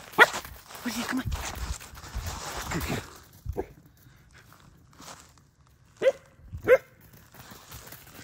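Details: German Shepherd puppy, frightened by a fake deer outdoors, gives two short sharp barks about a second apart after several seconds of people talking and footsteps.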